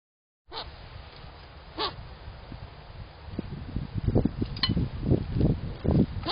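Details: A contented squirrel at a backyard feeder makes soft, low grunting chuffs in quick, uneven bursts, with a few sharp clicks.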